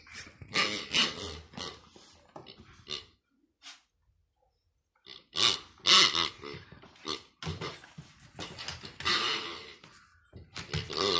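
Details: Kaos, a dog, playing with his new pig toy indoors: rough, raspy grunts and growls in broken bursts, a quiet gap of about two seconds midway, then busier, louder grunting toward the end.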